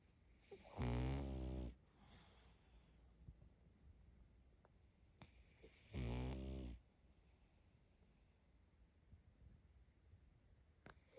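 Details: Sleeping female pug puppy snoring: two loud, low, rasping snores about five seconds apart, each lasting under a second, with quiet breathing and faint room noise between them.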